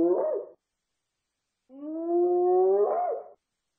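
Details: Hyena whoops: the short tail of one call, then a longer low tonal note that rises gently and ends in a quick upward twist.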